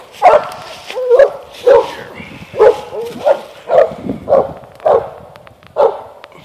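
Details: Eight-month-old Mountain Cur pup barking at an animal up a tree on a limb: steady, hoarse, mid-pitched barks, about ten in six seconds, evenly spaced.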